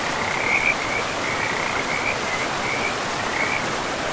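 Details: Frogs calling by a forest river among moss-covered land: a run of brief, high, raspy trills, strongest early on, spaced irregularly against an even wash of rushing water.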